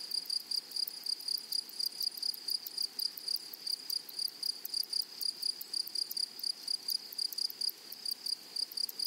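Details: Meadow grasshoppers give a continuous piercing, tonal chirping: tight rapid pulses repeated at a steady rhythm throughout, with nothing else clearly audible behind the insect song.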